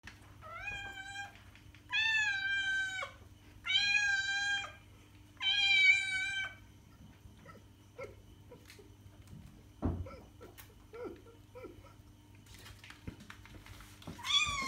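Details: {'text': 'Domestic cat meowing, played to lure other cats: four loud harmonic meows in quick succession, each about a second long with a drawn-out, slightly falling tone, then several faint, short mews and clicks, with a steady low hum underneath.'}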